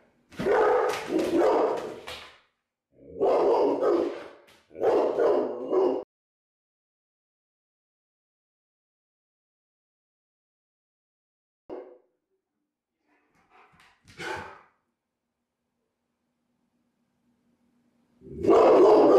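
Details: A male Rottweiler, left home alone as a prank, gives loud deep barks in rough bursts at someone in a T-rex costume, then a long quiet stretch as he appears scared, before barking again.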